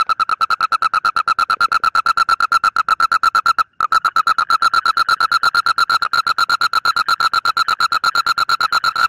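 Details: An Indian (Asian) common toad gives a long, fast, evenly pulsed trill, a buzzy mid-pitched mating call.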